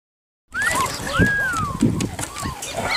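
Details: Puppies giving thin, high whines that rise and then fall, a run of short whimpers over clattering knocks and faint voices in the background.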